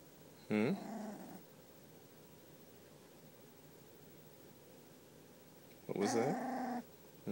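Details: Puppy exploring, giving two short, harmonic yelping barks with a downward-sliding pitch, about five seconds apart, then a brief third onset at the end; quiet room hiss between them.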